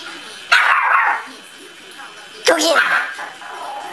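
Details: An angry dog gives two sharp, harsh barks roughly two seconds apart, with a person's voice faintly behind.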